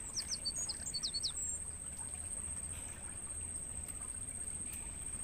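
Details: Crickets in a natural mangrove forest, used as training audio to stimulate songbirds to sing: a steady, very high, unbroken insect tone runs throughout, with a brief burst of quick bird chirps near the start.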